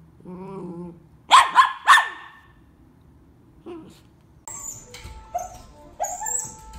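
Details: Dachshund in a compilation of funny pet moments: a brief whining tone, then three sharp barks near the start, followed by music and chatter.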